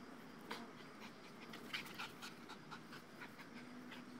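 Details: Two-year-old male Dogo Argentino playing with a new tether tug toy, tiring after a few minutes; quick, breathy panting puffs repeated several times a second over low background noise.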